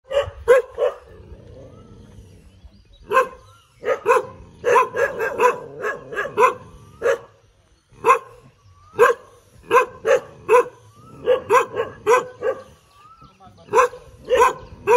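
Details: Dog barking while wagging its tail: short sharp barks, mostly in quick pairs and triplets separated by brief pauses, steady throughout with no other clear sounds.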